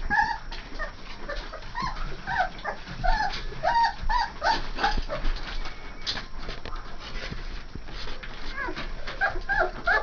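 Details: Three-and-a-half-week-old AKC Saint Bernard pups from parents Gypsy and Adam whine steadily, a dense run of brief rising-and-falling squeaks and yelps repeated several times a second throughout.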